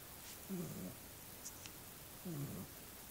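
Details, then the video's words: A small dog snores in its sleep, two low guttural snores almost two seconds apart, with a faint click heard between them. "Snoring Dog"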